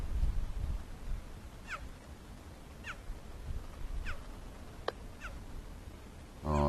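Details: A male cheetah with a full belly after a kill, separated from his brother, gives high, bird-like chirps that drop sharply in pitch about every second, calling for him on a fence line at Rietspruit Game Reserve, South African Lowveld, at sunset, 29 October.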